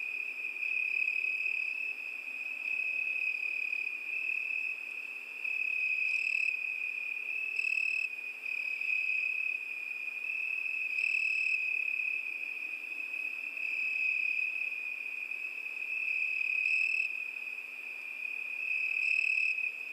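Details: Crickets on a summer night keep up a constant high-pitched trilling, joined now and then by short, sharper bursts of a second, higher chirp, roughly every one to two seconds toward the end.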